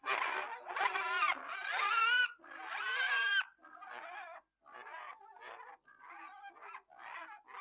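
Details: Pig calling in loud, harsh squeals with wavering harmonic bands in the first few seconds, then softer, shorter squeaks and grunts that repeat at an uneven pace of about one a second.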